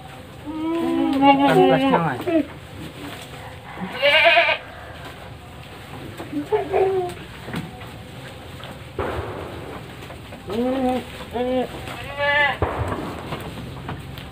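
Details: Male goats raised for Qurban sacrifice on a farm of 25 goats, 21 of them bucks, in Panggul, Trenggalek, Indonesia. Loud wavering, harmonic bleats come in bursts about every few seconds, overlapping one another, with people talking in the background.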